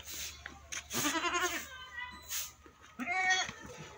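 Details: Goat crying: two loud, wavering bleats, each about half a second long and rich in harmonics, separated by a quieter gap with faint background noise.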